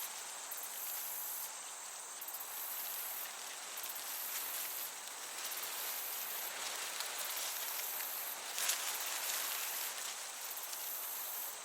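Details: Chirping crickets in a summer meadow: thin, piercing pulse trains repeating roughly every two seconds, with a broad wind-like hiss underneath and one brief louder rustle.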